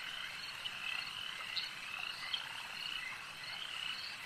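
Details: Lake frogs calling together, a thick, unbroken wash of high trilled croaks with a few louder chirps standing out near the middle of the short stretch.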